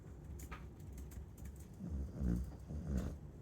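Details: Sleeping Chow Chow gives soft, low, buzzy snores, a brief rumble near the middle followed by a shorter one, over a faint background hiss.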